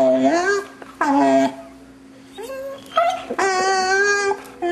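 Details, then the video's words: Duke, a 6-month-old Vizsla, makes his weird noises when his owners do a certain thing with him indoors. Four drawn-out, tonal whine-moans with rich harmonics, several sliding upward and the last one long and steady, separated by short quiet gaps. "Our Vizsla Duke makes weird noises"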